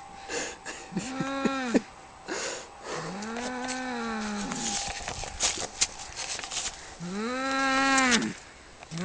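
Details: Two male cats face off in a territorial fight outside a house, trading long arched moaning yowls that rise and fall, three drawn-out wails separated by brief rustling and scuffling.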